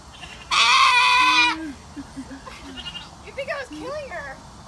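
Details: Goat screaming while being bathed: a single loud, raspy, harmonic-rich scream lasting about a second, followed by a woman talking in the background.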